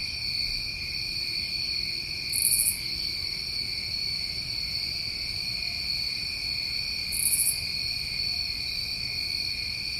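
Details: New England summer crickets keep up an unbroken high-pitched trilling chorus, with two short brighter bursts about five seconds apart and a soft low hum beneath.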